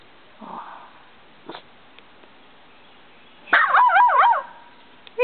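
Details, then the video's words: A nervous, skittish puggle near a house, wary of the camera, gives a sudden bright yelping bark with wavering pitch near the end, after a few faint sniffs and taps; a person speaks softly nearby. "Mocha is a nervous puggle"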